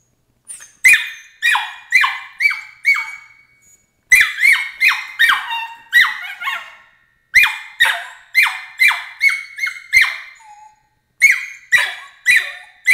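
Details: Crate training draws protest from 13-week-old Border Collie pup Emily: bursts of four to six shrill, downward-sliding shrieks in quick succession, separated by short silences, indoors with no other sounds.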